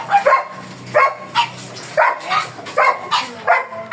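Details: Black German Shepherd Dog, kept for stud service in Manaoag, Pangasinan, barking steadily: about nine clipped barks spread over four seconds, some paired closely, amid a faint background hum.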